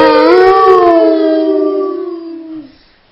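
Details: Dog howling indoors: one long, loud, sustained tonal howl that rises slightly at the start, then holds steady and slowly fades over about two and a half seconds, with rich harmonics.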